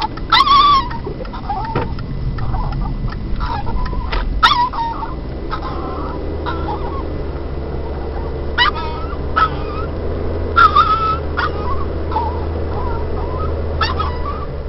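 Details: Pet dog in a car, excited as it nears a familiar house where it loves to run free; repeated high whining yelps and squeaky cries in short bursts over a steady low engine rumble.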